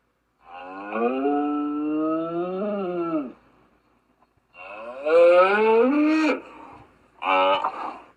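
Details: Three lowing calls from a gaur: a long wavering moo, a louder one rising toward a strained, higher-pitched end, then a short burst, each harmonically rich and nasal against silence.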